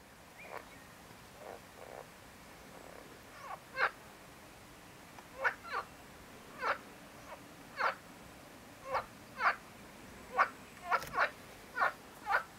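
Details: Marsh frog (Pelophylax ridibundus) calling: a series of short, sharp, rasping croaks repeated at uneven intervals of about half a second to a second, growing louder and more frequent over the clip, over a low steady background hiss.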